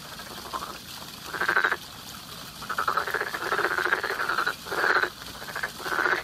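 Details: Frogs in spring giving buzzy, pulsed croaks, a faint call followed by louder drawn-out bursts, some running together for over a second.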